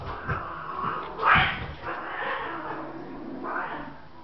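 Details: Domestic cats fighting, one attacking the other: drawn-out wavering yowls that rise and fall, about three long cries, with a sharp louder outburst near the middle and low growling between.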